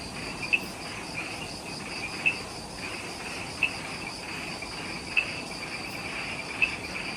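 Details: Insects in the Ishigaki Island jungle at the Omoto-dake trailhead, Okinawa, Japan, at twilight just after sunset: a steady, shrill, pulsing chorus in two high bands, with a sharp click about every one and a half seconds over soft forest hiss.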